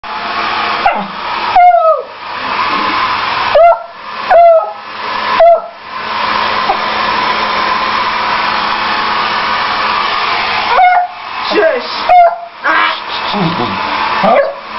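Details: A female beagle, who barks and howls at any loud noise, howls in drawn-out, wavering bursts at a hair dryer over its steady roar.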